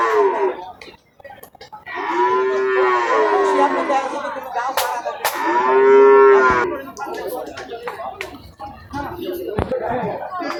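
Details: Cattle at a Qurbani cattle market in Hazratpur Par village, Dhaka, Bangladesh, 2026: two long, rising-and-falling moos of about two seconds each, separated by a short gap, followed by market noise and knocks.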